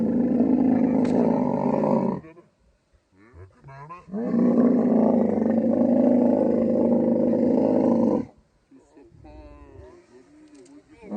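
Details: Camel in mating season in the Thar Desert, Tharparkar, Sindh, Pakistan: long harsh, throaty roars with a rough rumbling texture, about two seconds and then four seconds long, separated by a gap in which people talk, with more voices at the end.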